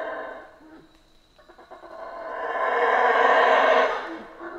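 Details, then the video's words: Howler monkey in the Central American rainforest: a rough, roaring howl that starts faint, swells into a loud, broad, harsh roar over about two seconds, then fades toward the end. "Rainforest Howler Monkeys Sounds"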